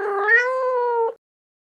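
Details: Domestic cat in a children's farm-animal sounds collection: one clean, drawn-out tonal meow about a second long, slightly rising then level, ending abruptly, with silence after.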